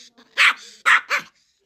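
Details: Angry Pomeranian defending its hide from an approaching person, giving three loud, sharp barks over about a second, with faint growling before and after.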